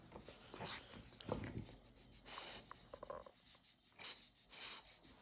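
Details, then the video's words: French Bulldog demanding attention in a small room, with short snuffling snorts and panting breaths spread through the clip and a few quick clicks midway; a woman talks to the dog around it. "French bulldog demands attention!"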